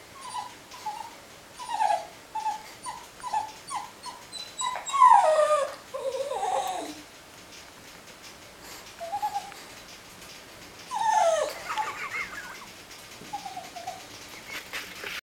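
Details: Cairn Terrier. A Cairn Terrier keeps up a string of short whimpers, each a brief nasal rise and fall, then breaks into louder drawn-out moans. The complaining trails off into softer whines, with quiet pauses between outbursts.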